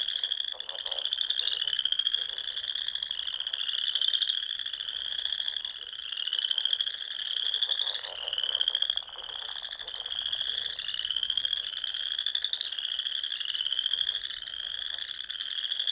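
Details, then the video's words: Spring chorus of frogs from the rolling dunes and ponds of the Nebraska Sandhills at dusk, a shrill continuous trill layered with slightly rising sweeps that repeat every one to two seconds. "RELAXING SOUNDS OF FROGS"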